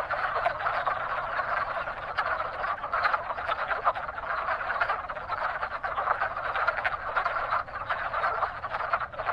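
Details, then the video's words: Wood frogs at a lively frog pond in spring, breeding season, calling together in a thick, continuous mass of chuckling, clucking croaks that never lets up. "Wood Frogs Calling in Spring"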